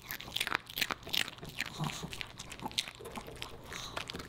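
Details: Pomeranian puppy named Boba Bear eating dog-friendly fish and chips indoors, crisp crunching bites in quick bursts of broad crackling, some louder snaps, in a small quiet room.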